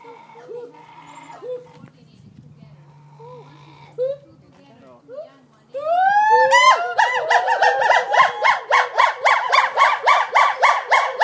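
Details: Gibbons singing at the Gibbon Conservation Center: soft scattered hoots over a low steady hum, then from about six seconds a loud burst of rising whooping notes that settles into rapid, evenly repeated calls about four per second.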